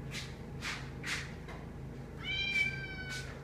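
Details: A female house cat named Kanaya, who wants company while eating, gives a long, even, tonal meow near the end. Before it, a person firmly repeats no several times in quick bursts, in a small room.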